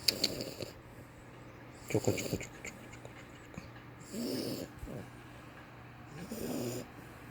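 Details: French Bulldog asleep and snoring: rough, snorting breaths in bursts about every two seconds, each with a raspy, hissing top, separated by quiet stretches.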